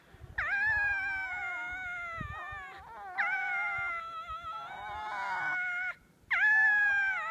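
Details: Winter at Zao Fox Village in Japan, foxes in a fight: three long drawn-out wails of about two and a half seconds each, quavering and slightly falling, then a fourth cry starting after a brief silence.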